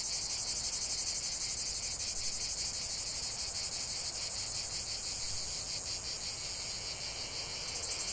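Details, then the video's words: Cicadas buzzing together, a bright sizzling wall of sound beating in fast regular throbs, with one brief sharp click midway and a slight dip in intensity toward the end. "45 min de chant des cigales"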